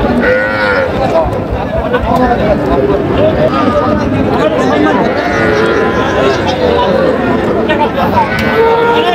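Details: Small Sahiwal bull calves at a crowded cattle market, purchased by a Natore farmer on 15 July 2025, give repeated long, hoarse moos through the clip while buyers haggle loudly nearby.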